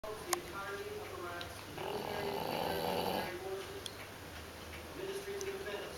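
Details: An English Bulldog puppy snores after a busy day of a cookout on the 4th, mixing a long raspy rattle with low, nasal droning breaths.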